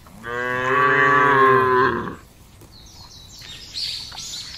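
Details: Tame cattle in a herd grazing freely on wide open pasture land in a village area, kept for fattening; one long harmonic moo lasting about two seconds, followed by faint high bird chirps.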